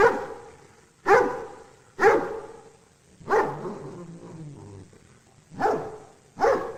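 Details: Dog barking in single sharp, loud barks roughly once a second, with a short low rumbling growl in a brief pause midway.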